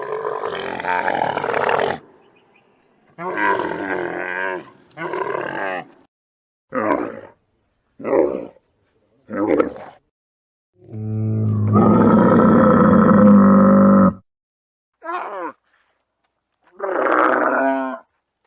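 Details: Camel heard around feeding time: a series of harsh, gurgling roars and short throaty grunts in irregular bursts, with one long, deep, droning bellow in the middle.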